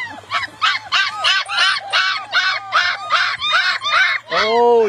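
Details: Several black long-coated German Shepherd puppies, wanting to be picked up, give loud arched whining yelps repeated about two to three times a second, closing with a longer, lower drawn-out whine.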